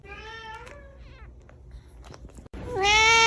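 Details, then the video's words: Domestic cat meowing indoors: a steady, harmonic-rich meow lasting under a second, a pause with faint rustling, then a louder, strained meow that rises and holds until the end. "cat voice sounds cat viralvideo cat meowing Billi ki awaz"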